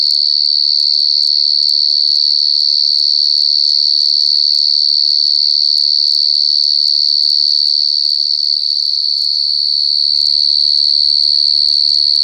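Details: A wild cricket trilling nonstop, very loud and piercing, in an even, unbroken high ring with a low hum in the background.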